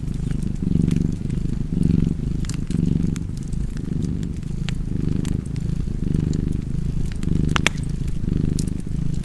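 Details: Domestic cat purring beside a fireplace: a steady low rumbling purr that swells and fades with each breath, roughly once a second, over sharp crackles and pops from the fire.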